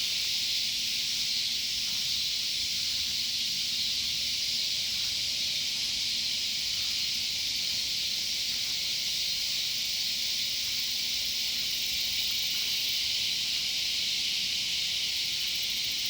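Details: A loud chorus of cicadas around a sunflower garden, a constant shrill hiss lasting the full sixteen seconds with slight swells in strength.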